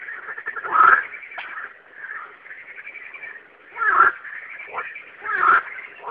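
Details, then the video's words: At night, frogs keep up a low, grating trill, with three or four louder rasping croaks standing out over about six seconds. "Singing frogs"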